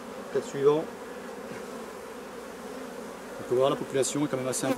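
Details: Honey bees from a drone-laying colony during its replacement, a steady low droning hum running through the clip, broken at the start and near the end by bursts of a person's voice.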